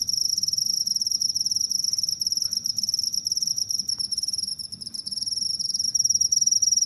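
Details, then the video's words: Cricket recording meant to drive away rats, a sustained high-pitched pulsing trill that dips slightly quieter near the middle before swelling louder again toward the end, over faint low background noise. "suara jangkrik pengusir tikus"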